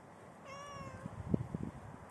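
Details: Persian cat four hours before giving birth, indoors: a single steady, drawn-out meow lasting about half a second, followed by soft irregular tapping and knocking sounds in a quiet room.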